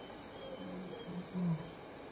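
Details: Lion at Elephant Plains Game Lodge, South Africa, on May 26, 2011, between 6 and 7 PM, walking by and contact calling with loud roars and return calls; deep grunting roar pulses swell and peak near the end over steady cricket chirping.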